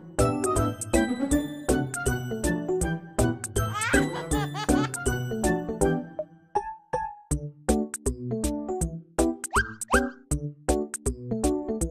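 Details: Playful children's music with plucked notes, boings and dings, and no animal calls present.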